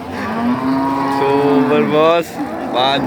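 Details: Cattle at Pasar Pahing, a cattle market in Nganjuk, East Java, Indonesia: a low, steady, droning moo holds for about a second and a half, then shifts into shorter, higher, strained bellows amid market background noise.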